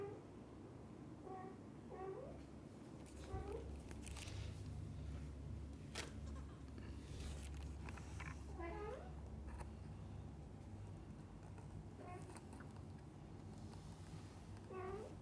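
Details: Mother cat with kittens, the dad cat always beside them, in a happy cat family: repeated brief, high-pitched mews spaced a second or more apart across the stretch, some bending upward, with a constant low droning hum beneath.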